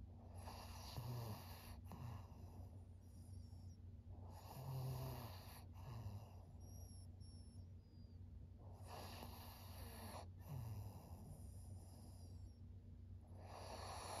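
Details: Senior pug Maria, a thirteen-year-old fawn female in Japan, gives slow snoring breaths: gravelly low snorts in bursts about every few seconds, with softer wheezy inhalations between and a faint steady background hum.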